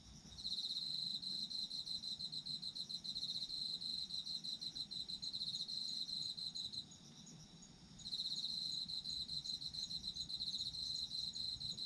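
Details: Autumn insects calling together. A sharp, high, rhythmically pulsed trill continues for about seven seconds, pauses for about a second, and starts again, with a continuous fainter insect chorus underneath.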